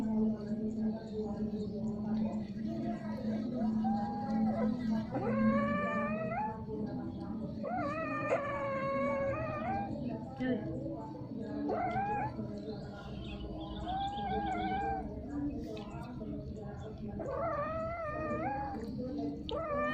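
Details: Domestic cats mating, repeatedly and for a long time, giving strange sounds: long, wavering, harmonic yowls that rise and bend, overlapping one another almost without pause, over a steady low hum.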